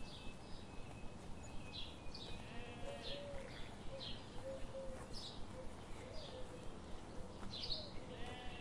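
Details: A flock of sheep grazing in a forest in the morning sun. Several brief, nasal bleats overlap across the clip. Quick regular clicks and a steady low background hum continue throughout.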